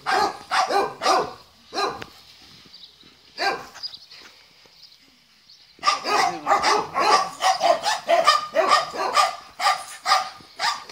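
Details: Dogs at lunch break giving rapid, dense bursts of barking, then a quiet pause with a faint steady hum, then a long run of fast overlapping barks.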